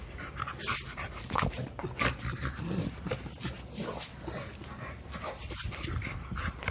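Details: Milo, a male American Bully aged two, eager to play: loud rapid panting, roughly ninety breaths a minute in an uneven pulse, with a few faint whines.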